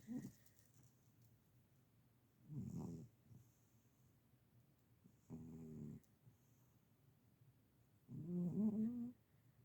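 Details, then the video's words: Marlowe the house cat snoring in sleep: three rough, low, rattling breaths roughly every three seconds, the last one ending in a nasal, whining tone, with quiet pauses between. "Snoring Cat"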